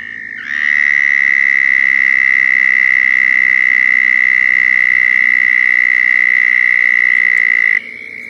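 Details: Southern toad mating call from Florida: a loud, continuous buzzy trill starting abruptly, held at a steady high pitch for about seven seconds, then cutting off sharply.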